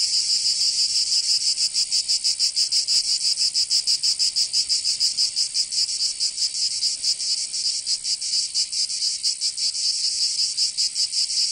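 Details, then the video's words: Summer cicada chorus from Provence in the south of France, a dense high-pitched rasping drone with fast, slightly uneven pulsing throughout, nothing else audible. "Canto Cigarra 🦗 [ Escuchar les cigarras en verano 10 H]"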